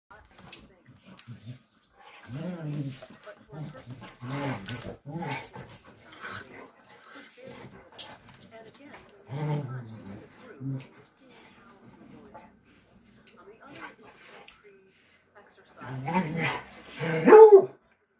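Bluetick Coonhounds trade low, rough play growls in short bursts, with a person's voice in between.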